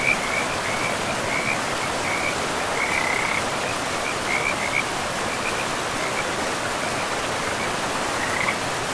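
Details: Frog chorus by a forest river, with brief trilling notes scattered every second or so, some clearer than others, partly buried beneath the steady hiss of rushing river water.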